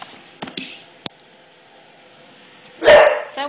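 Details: English Bulldog indoors barking at a newly installed floor, mad and frightened after the installation noise; after a quiet stretch with faint clicks, one loud, harsh bark bursts out near the end, followed by a short voiced sound.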